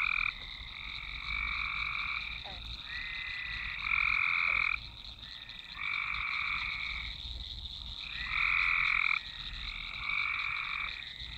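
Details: Swamp frog chorus captured with a Nokia Lumia 1020, many callers overlapping in long buzzy trills lasting one to two seconds each, alternating loud and softer bursts over a constant high background drone.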